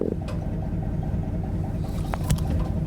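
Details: Brown croaker (민어) in summer spawning season (July–August) off Imjado, Korea, giving low, throbbing frog-like croaks by inflating its swim bladder, heard by fishermen through a long bamboo pole.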